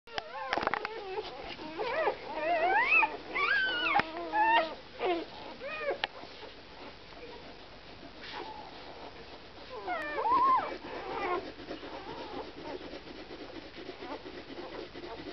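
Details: Samoyed puppies from a litter of FIN CH Lumijedi x FIN CH Mellow Smile Chewanda, giving high, wavering whimpers and rising-falling whines in overlapping bursts, busiest in the first five seconds, then quieter with a brief flurry near ten seconds.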